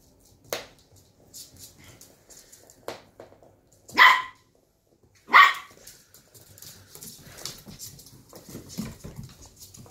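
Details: Shetland Sheepdog puppies, 11 weeks old, in rough play; a few sharp high barks stand out between quieter scuffles and soft growls, two loud barks close together midway.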